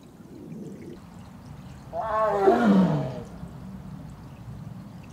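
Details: A female Korean tiger in heat, separated from her sibling, gives one hoarse, descending moaning roar lasting about a second, set against a low, steady rumbling background.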